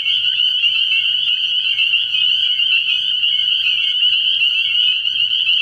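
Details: Spring peepers calling at night in early spring from a frog pond: a dense, unbroken chorus of high, shrill peeps merging into a steady ringing band with no pauses, many frogs overlapping throughout.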